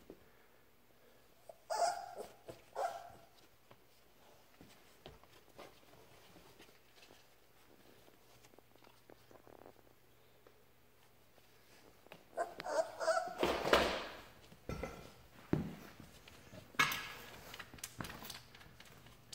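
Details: Labrador Retriever puppy Ripley, learning to walk, plays indoors with its mother Halia. A couple of short bark bursts come early, then a louder, dense run of rough, noisy play barks and yips mixed with scuffling in the second half.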